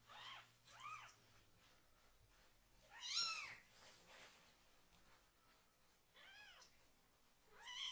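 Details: Kitten still needing toilet assistance, crying loudly but staying calm while its bottom is washed: a series of high, bowed meows, one strong and drawn-out near the middle, then further meows toward the end.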